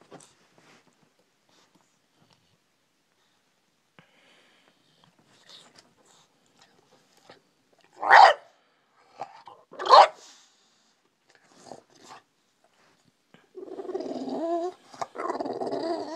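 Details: Brutus, a bulldog rousing his owner from sleep: near-silence, then two loud barks two seconds apart, a few faint huffs, and finally a sustained wavering grumble-whine.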